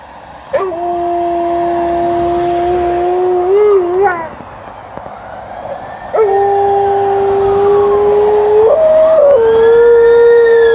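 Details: Alaskan Malamute howling during a walk: two long, steady, tonal howls, the first held about three seconds and ending in a wavering dip, the second longer with a brief upward step near its end, a quieter pause between them.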